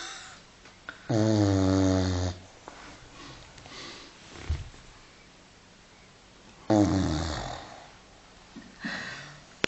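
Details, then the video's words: Five-month-old Continental Bulldog Filby sleeping and snoring inside; two rasping, wheezy snores about five seconds apart, each around a second long, with soft breathing and small rustles between them. "Filby im Schnarchmodus"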